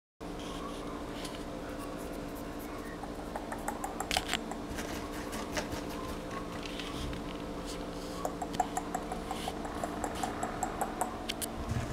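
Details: Indoors in a small room, a steady fan hum runs throughout with scattered clicks and light tapping, and no animal voice is heard.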